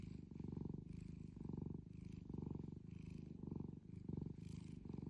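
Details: A tuxedo cat with long whiskers purrs loudly, deep rumbling pulses swelling on each in- and out-breath, about one cycle per second with brief soft gaps.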